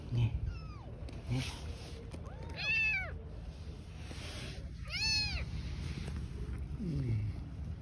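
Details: Stray mother cat and newborn kittens living on the street: short high meows around 2.7 and 5 seconds, with a fainter one near 7 seconds, over steady background hum and some human speech.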